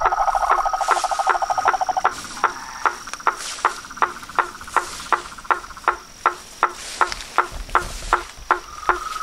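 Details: Dusk gathering of toads, frogs and tree frogs at a reservoir by a house: a short rattling trill fades within two seconds, leaving crisp knocking calls repeated roughly every half second against soft hiss.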